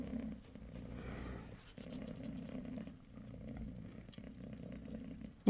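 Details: Low, continuous purring from Bassy, a domestic mother cat on her sixth day after delivering a litter of five kittens, with the rumble pausing briefly a few times and soft rustling around it.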